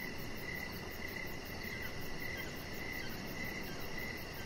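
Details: Crickets chirping outdoors in the evening beside a deck: short, bright chirps repeat steadily about every half second over a soft low rumble, with a faint high continuous hiss above.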